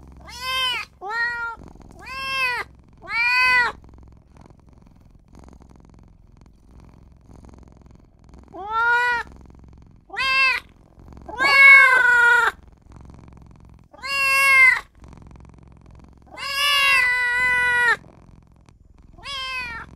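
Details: Tiny newborn kitten crying for its mother and owner: clear, high, wavering meows, four quick ones, a pause, then louder, longer, strained cries in irregular bursts, some drawn out and rising. The background is quiet indoors.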